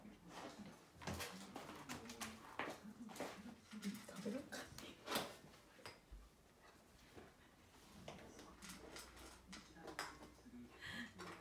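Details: Akita dog named Patako giving a very long "itadakimasu" before eating indoors: low, drawn-out moaning whines wavering up and down in pitch, broken by clicks and knocks in a small room.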